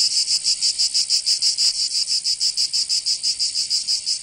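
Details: In summer in Provence, southern France, cicadas give a high, buzzy, pulsing song: shrill throbs repeated evenly, roughly four per second, with nothing else heard.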